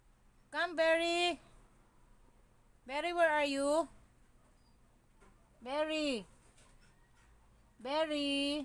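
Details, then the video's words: Siberian Husky talking back while arguing: four bursts of vocal protest, some held flat, others bending up and down, spaced roughly two seconds apart in a quiet room. "HUSKY ARGUING"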